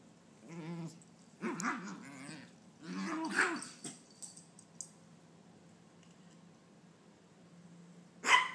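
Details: Little female Maltese, roughly nine months old, spinning after her tail post-bath; three bursts of rough, wobbling growls in the first half, then quiet room tone and a sudden loud knock at the end.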